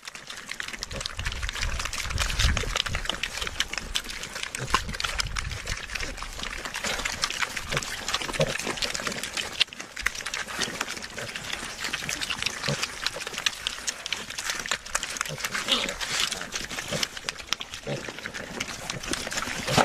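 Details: Pigs feeding at a trough: dense wet smacking, slurping and chewing crackle throughout, with low grunts clustered near the start and scattered later.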